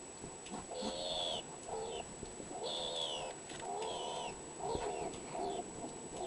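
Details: Skunk at a feeding window giving its strange voice: bursts of squealing, chirping notes with bright overtones, each lasting under a second and repeated roughly every second, over a steady thin high-pitched whine.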